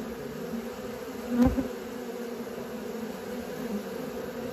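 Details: Honey bees learning to fly: a steady low droning hum with a brighter overtone above it, holding level throughout, with one sharp click near the middle and faint background hiss.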